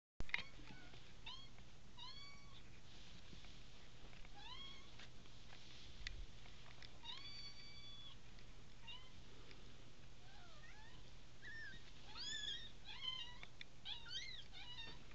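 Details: American Bobtail kittens, three weeks old, from a litter of five born indoors on December 18, 2010; many short, high, overlapping mews with rising and falling pitch come quickly over a steady low hum.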